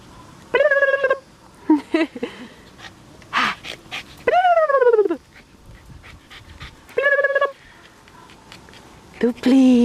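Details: A small, one-eyed dog that is nervous in a shelter whines and yelps in repeated bursts: tonal cries, one long whine sliding downward, and short yelps in between, with quiet gaps separating the calls.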